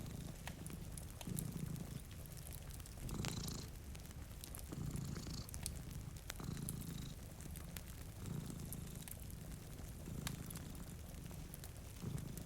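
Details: Two cats sleeping before a rainy window purr deeply and steadily, each breath cycle swelling and fading roughly every two seconds, over sharp fireplace crackles and a soft patter of rain.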